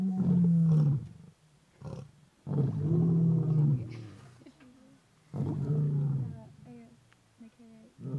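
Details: Stage II lions at Antelope Park give deep, drawn-out moaning roars that sink in pitch, followed by shorter grunting calls.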